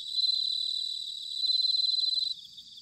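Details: Autumn bell cricket chorus from Sanuki, Chiba Prefecture, Japan: loud, clear, high tinkling trills in rapid pulses, sustained and then dropping away sharply just before the end.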